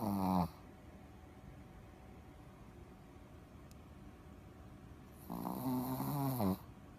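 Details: Ruby, a Shih Tzu mascot dog at the Progreso tennis school in Sakado, Japan, snoring while asleep: two loud, rasping, harmonic snore bursts, one at the start and another about five seconds later, with a quiet indoor room between them.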